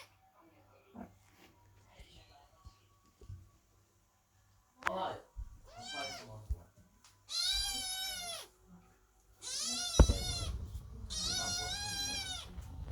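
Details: Kittens meowing loudly at a door while their mother, the cat Chloe, gives birth indoors; after scattered soft noises, long harmonic meows come in three drawn-out bursts of about a second each, with a sharp knock near the end.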